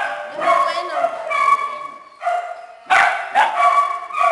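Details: Inside a shelter kennel, small dogs and puppies give long, clear whines and yelps in short bursts, separated by brief quieter gaps.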